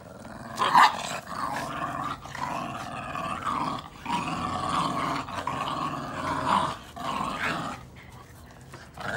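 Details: Growls from red Boston Terrier puppies at play in a tug of war over a chew ring; gravelly rumbling bouts of one to two seconds, separated by short pauses, with a sharp peak near the start.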